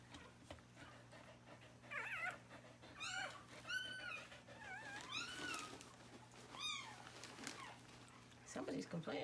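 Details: Freshly born puppy complaining during whelping indoors: a run of thin, high, wavering whines and squeals, each arching up then falling, several in close succession over about five seconds, with a woman speaking softly nearby.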